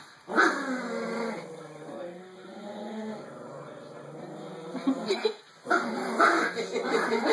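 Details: Yorkie-Pom puppies wrestle for a rope toy as Momo gets territorial. A sharp onset leads into a sustained low grumble that fades, then fresh snarling bursts break out near the end over a thin electronic hum.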